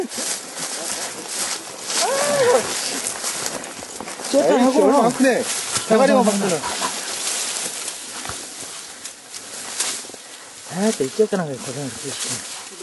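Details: Korean Tri Hound on a wild boar hunt giving drawn-out, wavering, harmonic bays in several bursts over about thirteen seconds, with steady outdoor background noise.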